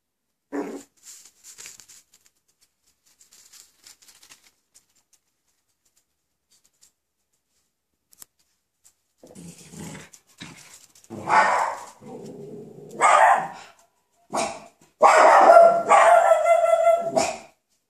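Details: Coton de Tuléar puppies almost six weeks old playing indoors; quiet shuffling at first, then from about ten seconds rough growling bursts building into loud harsh yelping play-growls near the end.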